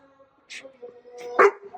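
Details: Six-month-old Labrador Retriever in bark training. The trainer blows on its face two or three times for a louder bark and rewards it with a treat. One short, loud bark comes near the end, after breathy blowing and a man's voice.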